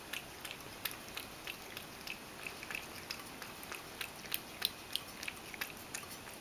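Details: Mojio the Ragdoll drinks milk at a meal, messily spilling it. Steady lapping produces bright clicks near three per second, growing a bit louder toward the end, with faint room hiss throughout.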